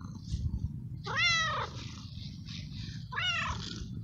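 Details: Stray male cat in heat, cared for outdoors, meowing to find a female to mate and excited when petted: two loud, harmonic-rich meows rising then falling, about two seconds apart, over low background rumble.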